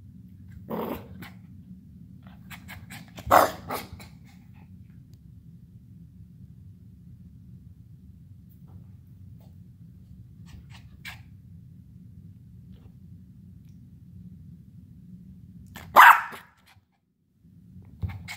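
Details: Havanese puppy Pixie, full of energy, lets out a few isolated short yips and growly bursts, one early, one after a few seconds and a louder one late, separated by long stretches of low room hum.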